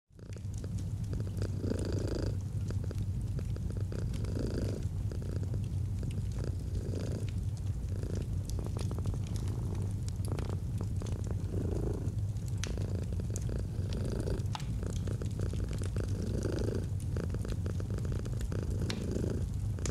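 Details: Domestic cat purring steadily in a cozy autumn ambience by a fireplace, a deep low rumble swelling with each breath about every two seconds, with sharp crackles of burning wood scattered throughout.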